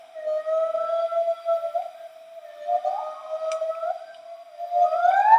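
Bornean white-bearded gibbons sing in clear, pure whistled tones, long steady notes broken by quick upward swoops. Two females sing together, and a rising, accelerating phrase builds toward the end as another voice joins.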